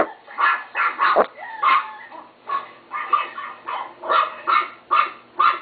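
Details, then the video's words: Chihuahua, a pet dog, giving rapid high-pitched yaps, one drawn-out whiny yelp near the start, then evenly spaced sharp barks roughly every half second. "My chihuahua Timo bark"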